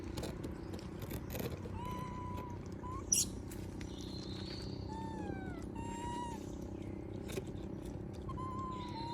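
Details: Monkey begging for food while others eat peanuts: thin, drawn-out tonal whimpers, some level and some gently falling, repeated about a dozen times over nine seconds, over a steady low hum with a brief sharp click midway.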